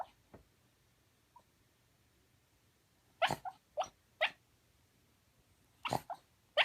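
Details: Sleeping Shiba Inu once kept as a family dog, giving quiet sleep talk: a few faint sounds early, then clusters of short whining yelps and muffled woofs after a silent stretch.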